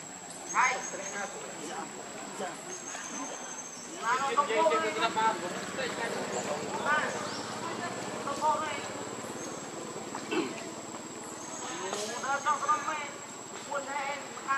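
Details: Lucie, a baby monkey, whimpers and cries in a long series of wavering, harmonic squeals and whines that rise and fall, with a constant insect drone and high buzz behind.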